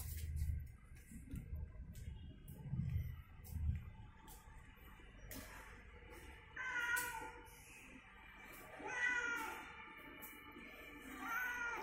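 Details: Domestic cat named Cimeng, returning home after days away, angry and hungry, gives short harmonic meows in three bursts over the last half. A person talks in a small room, and faint music plays.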